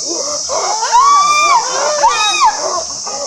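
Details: Chimpanzee pant hoot, a ventilatory display of strength and dominance: two loud, rising, sustained hooting screams in quick succession.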